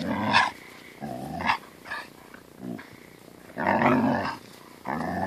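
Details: Siberian Husky grumbling in annoyance as a German Shepherd puppy plays with it: loud, harsh growls and snarls come in uneven bursts, with one long rasping growl near the end.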